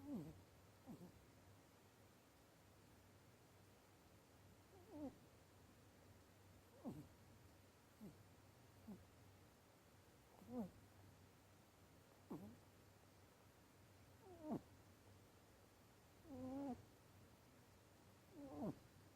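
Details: Pet rabbit asleep indoors, snoring or heavy sleep breathing surprisingly loud for a rabbit; short rasping snores with faint tonal edges recur roughly every two seconds over a low steady room hum.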